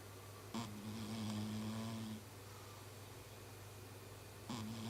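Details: Sleeping house cat Chibi gives a human-like snore, a low buzzing drone lasting almost two seconds, followed by a quiet pause before the next snore begins, with a constant low background hum.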